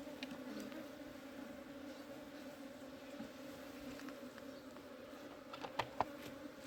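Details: Honey bees humming inside their hive as it is opened and cleaned in summer. A continuous low drone with two steady layered tones, light scraping ticks, and two sharp taps just before the end.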